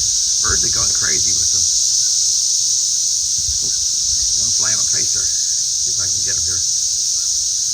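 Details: Cicadas landing and crawling around a garden after emerging. A steady, intense high whine continues without pause beneath several stretches of a man talking.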